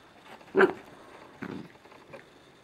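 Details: Two Scottish Terrier puppies romp indoors at 5 am on a Sunday morning in a dim living room; one short sharp rough outburst, then two fainter gruff bursts over quiet room noise.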